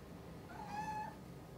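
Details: Rescued one-year-old mackerel-and-white cat indoors, calling to its owner who has shut herself in another room. One steady, level meow lasting about half a second, with clear overtones, over a quiet room.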